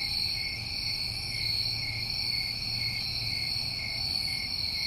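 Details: New England crickets in summer producing a constant, even, high ringing trill in several layered tones, with a low faint hum beneath and no other clear sounds.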